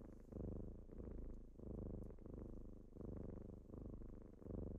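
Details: Kittens purring in the morning while waking their owner, a steady low rumbling purr that swells and fades in breath cycles roughly every second, indoors and quiet otherwise.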